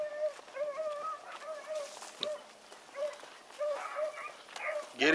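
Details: Young dogs Sassy and Magnum training with Ringo and Boone give steady bawling howls, short wavering notes repeated roughly twice a second, several voices overlapping, with scattered knocks and a loud noise at the end.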